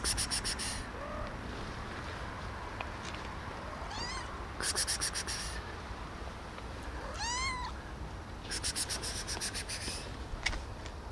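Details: Friendly, hungry cat meowing for food as it approaches and seeks attention; two clear drawn-out meows, each rising then falling in a smooth arch, a few seconds apart, with short crackly rustling bursts between them.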